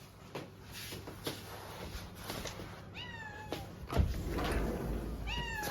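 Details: Stray kittens being fed, meowing: two clear high mewing calls, each falling in pitch with rich harmonics, near three and five seconds, over a low hum and faint rustling.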